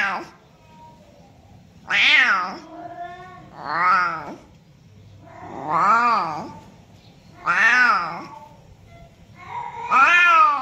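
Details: Domestic cat meowing, offered as a sound to attract other cats: six loud, drawn-out, wavering meows, each rising then falling in pitch, spaced about two seconds apart over a faint steady hum.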